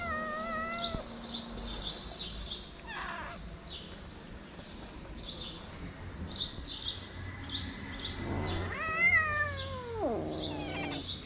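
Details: Stray cats, with a big-nosed cat slapping away a kitten: a short falling meow opens, then a long, strained meow swells and slides downward near the end, over faint rustling and a low background hum.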